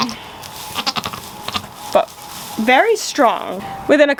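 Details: A pair of tremulous bleats from newborn goat kids at the end, each wavering down and up, after a stretch of soft background talk and rustling.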